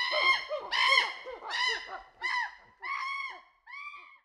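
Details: Group of chimpanzees hooting, a series of six loud, arching, harmonic calls that rise and fall, spaced about half a second apart and gradually weakening toward the end.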